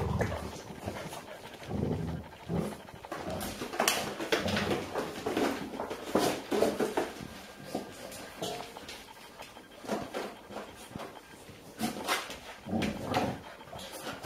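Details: In a puppy playpen in Haute-Savoie, France, during October 2013, a five-year-old Golden Retriever female slips away from her daughter's eight-week-old pups seeking milk. Faint whimpers and panting, with steady rustling, scrabbling paws and knocks throughout.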